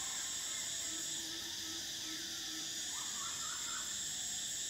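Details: Summer cicadas keep up a constant piercing buzz, with a faint low tone early on and a short run of soft rising chirps near the end.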